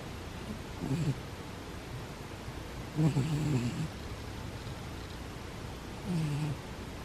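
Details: A cat asleep and snoring; three low raspy snore breaths spaced a few seconds apart over a faint constant hiss.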